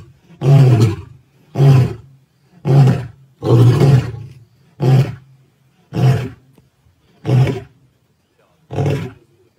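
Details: Male lions at Plains Camp, Sabi Sands, on 9 April 2024 roaring: a run of eight deep, booming grunts, each under a second long, spaced about a second apart and slowly fading.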